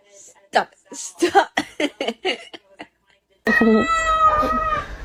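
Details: A person talks, then a cat breaks in with a long, loud, tonal meow that holds steady to the end.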